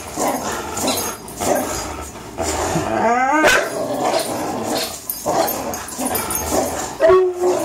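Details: Greyhound Fox and German Shorthaired Pointer Miles, three-year-olds, pull at a rope in play. Continuous rumbling growls fill the clip, interrupted by a sharp rising yelp midway and a short whine near the end.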